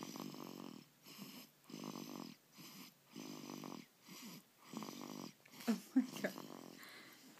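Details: Sleeping dog snoring loud and steady: harsh rasping breaths in even bursts about every three-quarters of a second, then a few higher squeaky snorts and rustling toward the end.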